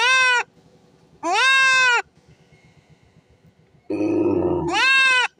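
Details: Castrated goat crying out: three strong, drawn-out nasal bleats separated by short quiet gaps, the last preceded by a rough, throaty grunting burst.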